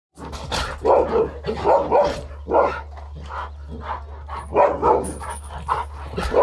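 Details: Dobermann barking in a rapid, uneven run of loud, deep barks, about eight in six seconds, some doubled, over a steady low hum.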